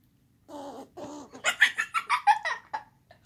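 A squirrel growls twice in short, rough, nasal bursts. It then breaks into a rapid run of scratchy, pulsing chatter that fades after about a second.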